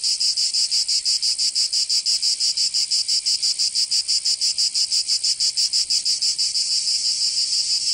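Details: In Provence in the south of France, summer cicadas keep up a piercing, high-pitched buzz that beats in steady rapid pulses, roughly three a second, easing slightly toward the end.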